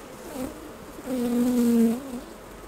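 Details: Honey bee buzzing at the hives while honey is being harvested: a short faint hum, then a louder steady drone lasting about a second before it fades.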